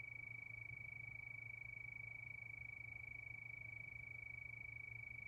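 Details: Night-time crickets in a calm moonlit setting give a constant high-pitched ringing trill with rapid regular pulses, heard against a faint low droning hum.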